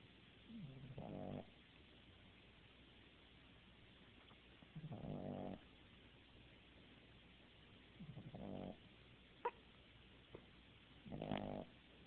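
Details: Puppy asleep indoors snoring; four soft rasping snores roughly every three to four seconds, each a short buzzy breath, with quiet background hiss and a couple of faint clicks between.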